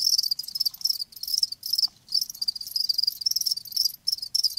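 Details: High, rapid chirping trills from live crickets run in clustered bursts of about a second, separated by clear brief pauses. A faint low background hum lies beneath.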